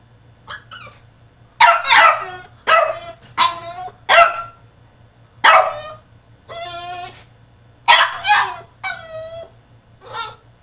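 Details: French Bulldog throwing a tantrum in his cage: a run of loud, harsh barks and yelping cries in rapid bursts, some drawn out into whining wails, with short pauses between outbursts.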